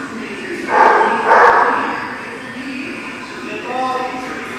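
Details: Dogs at a place called the Barking Lot, recorded on 17 December 2018: a loud harsh bark burst near one second and another at one and a half seconds, then fainter voices and a short harmonic whine near the end.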